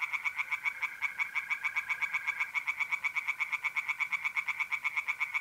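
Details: A mid-April night at a pond in North-East Italy, where tree frogs give an unbroken series of fast, regular nasal croaks, about four per second, with a steady mole cricket trill running beneath.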